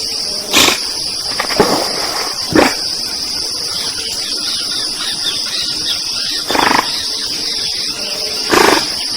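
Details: Group of giant otters in the Pantanal, Brazil: short, harsh, noisy bursts at irregular intervals of one to four seconds, set against a constant high insect drone.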